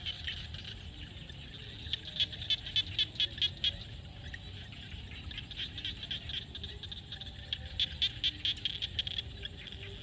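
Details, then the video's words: Frogs calling at sunset in a field in Cambodia: dense, rapid clicking pulses with high trilled notes in bursts, over a steady background chorus of insects. "SUNSET with Frog sound at the field"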